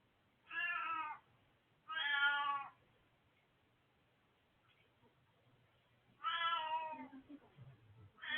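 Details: Hachi, an old male cat, meowing indoors, recorded 20 March 2024: three drawn-out harmonic meows, each under a second, two close together and a third after a pause, another beginning at the end.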